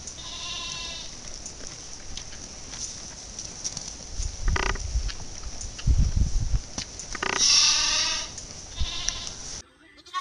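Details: Goat bleating in a compilation of funny, 'talking' goats: a wavering, nasal bleat opens the clip, then low thumps and rustling, then a loud, strained, drawn-out bleat near the end, with a person speaking in the background.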